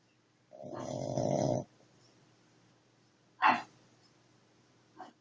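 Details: Dog snoring: one long, rough, low rumbling snore lasting about a second, followed by a short sharp sniff or snort and a fainter breath near the end, in a quiet room.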